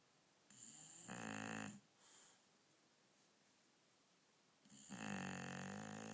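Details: Female dog Akira sleeping on a bed at night gives two long, throaty snores about four seconds apart, with a softer breathy rasp just after the first, in a quiet room.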